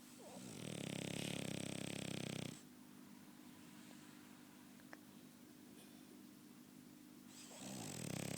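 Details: Snoring French Bulldog named Chester: a rough, vibrating snore of about two seconds, then several seconds of near silence before the next raspy breath starts. Inside a quiet room.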